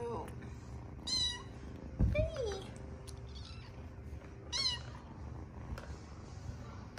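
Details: Several kittens, sleepy after a night of play, give short high harmonic meows near 1 s and 4.6 s and a lower sliding mew around 2 s, over a low background hum and faint voices.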